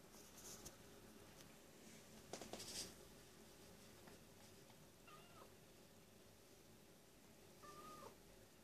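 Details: Domestic cat crying: two faint, short meows, each a brief tone dipping at the end, about two and a half seconds apart, after a few dull knocks and clicks in a quiet room with a steady low hum.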